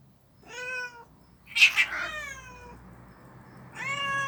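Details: Street cats fighting at a storage place: a short harmonic yowl, then a sharp hissing spit, a long falling wail and another rising yowl at the end.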